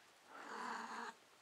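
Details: Indoor house cat, female and in heat, letting out one sustained wavering yowl of about a second in a small room, followed by a short sharp knock.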